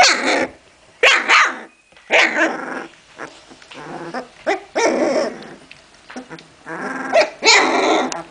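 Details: Puppies of Memphis-true Olga and Scarko de la Betoule playing together: bursts of rough yapping barks and growls in uneven clusters about a second apart, with short quiet gaps between.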